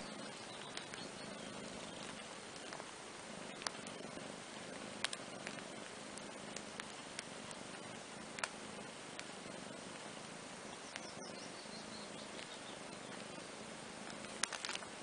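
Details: Relaxed purring while kitten Andrew and big sister Ana lie on a playmat; the low rumble comes in breathing-paced waves with short pauses, over scattered soft clicks and fabric rustle.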